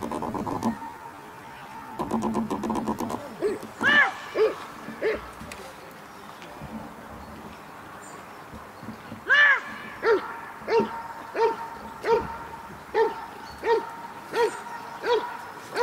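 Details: Cobra van de Amorhoeve, a dog doing protection work at the NIK 2016 dog sport trial. A few loud barks come early, then a steady run of barks roughly every half second, with crowd and arena noise behind.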